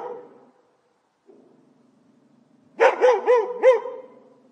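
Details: Barking dog captured with a professional microphone: a soft low whine and quiet rumbling, then a burst of four rapid, sharp barks close together, followed by a fading tail.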